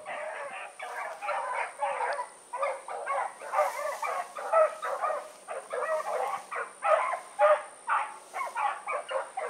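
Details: Blackreek pack of dogs, Choco, Dino, Johnny Ringo and Mingo, just put down for an evening run on 16 August 2014. Dense, overlapping chorus of barks from several dogs, almost continuous for ten seconds, with a constant high whine.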